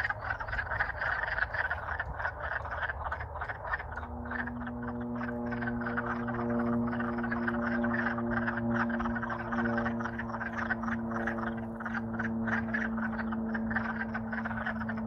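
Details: Wood frogs courting in spring in Alaska after thawing out from winter, a loud chorus of many short, rapid, overlapping clucking croaks; from about four seconds a steady low droning hum runs beneath the calls.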